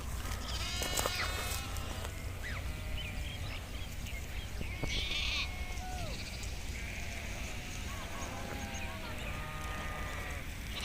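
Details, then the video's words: Kashmiri nomadic sheep herd grazing outdoors; scattered harmonic bleats, some bending downward, rise from a dense noisy background with a heavy low rumble, louder in the first half. "Beautiful sound of sheep grazing in nature"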